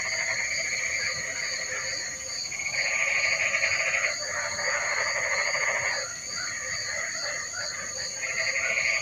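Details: Rain-time frog chorus, with bursts of harsh, overlapping croaking lasting several seconds, broken by short quieter gaps, while a constant high-pitched ringing drone and a softly throbbing tone run beneath.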